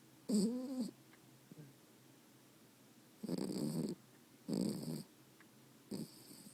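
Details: Max, a tired pet dog sleeping, gives four loud snorts roughly every one to three seconds. The first carries a brief whining tone; the later ones are harsh and noisy, with quiet gaps between.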